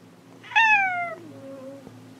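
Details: Domestic cat calling while searching for another cat: one loud, drawn-out meow that starts high and slides steadily downward, then trails off into a quieter low tail.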